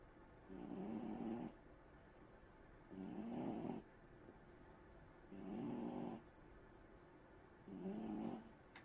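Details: Mufasa, a pet cat, snoring while asleep indoors: four soft, breathy low snores, one roughly every two and a half seconds, each lasting about a second, with quiet room hiss between them.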